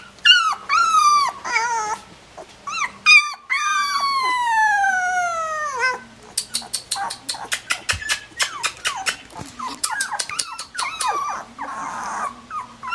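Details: Collie puppies at 16 days old give high whines and drawn-out, falling howl-like cries, then quick yelps. Sharp clicking taps follow in the second half.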